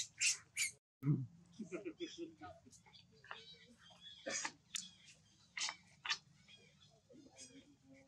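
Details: Young monkey Leo crying after his mother leaves him on the ground: shrill squawking screeches, some paired, scattered irregularly over soft mid-pitched chatter and a steady low hum, with a brief silent break near the start.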